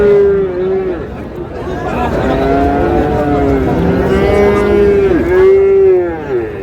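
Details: Moos from Friesian and crossbred bull calves at Raniganj market in Dinajpur, Bangladesh, 6 August: a run of overlapping, harmonically rich lowing calls, some dipping and rising in pitch, against busy background voices.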